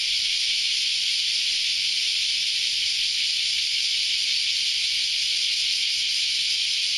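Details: Massed cicadas calling together at dawn on a Saturday, producing a loud, continuous sizzling high-pitched din that holds steady from start to finish.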